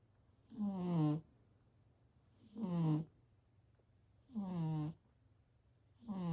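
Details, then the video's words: Domestic cat snoring indoors, slow regular breaths about every two seconds, each a soft low rumbling snore that sinks slightly in pitch, separated by near-silent pauses with a faint steady hum behind. "Snoring cat"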